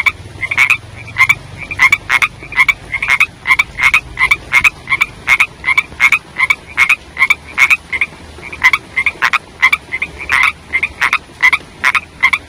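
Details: Young frogs calling in the rainy season, a long steady run of sharp, ringing croaks in quick succession, briefly pausing partway before resuming at the same brisk pace, with a soft low hum early on.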